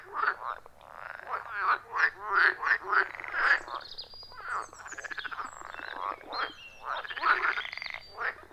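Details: Chorus of wild frogs at a forest pond, phone-recorded: many overlapping short croaks and rasping pulsed calls rise and fall in bursts, several animals calling at once, with a steady low hum beneath.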